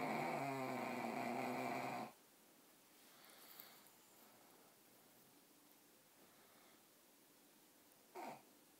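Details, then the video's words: Sleeping pugs snore with a rasping, buzzy, throaty rattle for about two seconds, then a quiet room follows with a faint rustle and one short soft noise near the end. "Snoring pugs"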